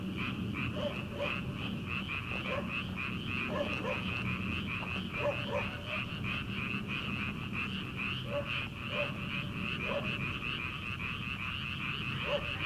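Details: Frogs croaking in a rice paddy at night in early summer, before rice planting: a continuous rattling chorus with scattered short, hollow, lower clucks from other frogs standing out every second or so.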